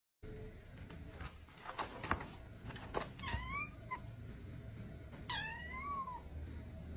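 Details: Domestic cat gives two clear meows about two seconds apart. Each is a short, harmonic call that rises, then bends downward. Faint knocks and handling noises come before them in a small indoor space.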